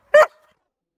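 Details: Irish Setter giving a single short, sharp bark, a clipped high-pitched yelp lasting a fraction of a second, then silence.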